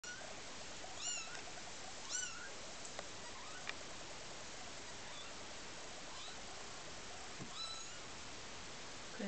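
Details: Newborn Maine Coon kittens, born 10 July 2008 at 1:23, give thin, high, squeaky mews over a steady background hiss.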